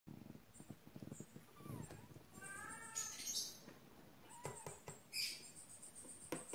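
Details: Pet kittens giving a few faint, short mewing calls with harmonic overtones around the middle of the recording, among clicks, rustling and handling noise indoors.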